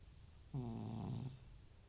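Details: Butcher, an elderly rescued FIV-positive house cat with recurring nasal discharge and sneezing, snoring while asleep: one loud, rough snore lasting under a second with a hissing airy edge, then quiet breathing.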